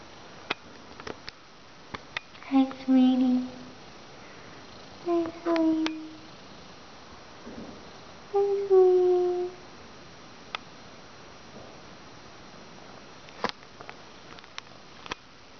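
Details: Raggles, a young gray-blue "Russian Blue" rescue cat up for adoption who talks when spoken to, gives three separate mid-pitched meows about three seconds apart, each smooth and slightly falling, with faint clicks in a quiet small room.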